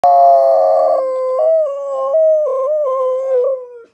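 A Siberian Husky gives a long, wavering howl that slides gradually downward.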